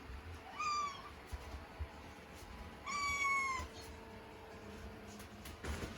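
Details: Scottish Fold kitten stranded on a curtain rail indoors calls twice, each meow a clear harmonic cry rising and then sliding down, about two seconds apart, with faint music and room noise between.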